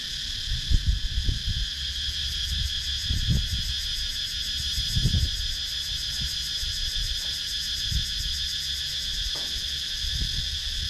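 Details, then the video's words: Cicadas calling in a wooded rural area of Sakon Nakhon, Thailand, GoPro Hero 9 recording; unbroken high-pitched buzzing with a fast pulsed shimmer on top, plus scattered low thuds and rustles. "Relaxing Sounds in Nature – Cicadas Sound"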